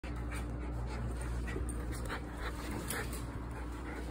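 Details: Miniature Schnauzer, excited about a hotel room, panting quickly and steadily at about four breaths per second, with a constant low hum in the room behind it.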